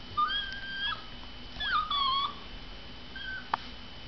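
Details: An Alaskan Klee Kai whines indoors, upset after a household member left; thin, high, drawn-out whimpers, one wavering then dropping, with a steady background hum and a soft tap.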